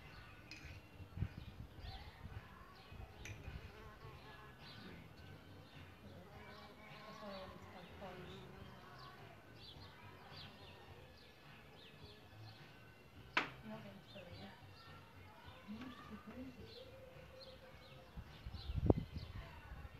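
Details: Solitary bees nesting in a bug hotel give low droning buzzes that rise and fade as they fly close, some with a steady humming tone; small birds chirp repeatedly in the background, with a few sharp knocks.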